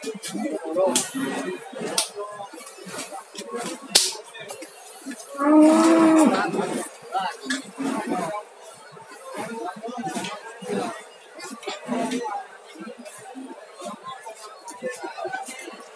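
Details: Water buffalo at a livestock market stall in Muntilan, Magelang, gives one drawn-out, level, resonant low moo of about a second, over a busy background of crowd chatter, knocks and clatter.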